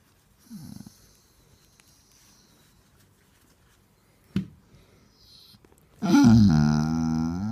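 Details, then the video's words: Indoors, a Basset Hound after attention gives a brief low grumble and a sharp snort, then a loud, sustained, whining moan with a quavering rise and fall over the last seconds. "Grumpy basset hound wants attention"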